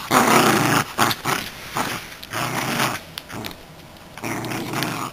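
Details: Roscoe, a Miniature Schnauzer, growls while playing with his toy squirrel indoors: rough, rumbling growls in bursts, loudest in the first second, then softer pulses, with thumping and handling noises.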